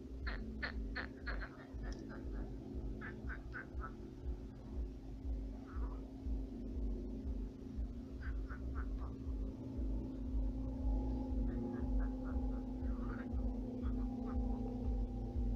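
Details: Frogs croaking at night in a shallowed pond turned swamp with many frogs: bursts of rapid, rattling croaks come in short series, pausing and resuming, over a steady low hum.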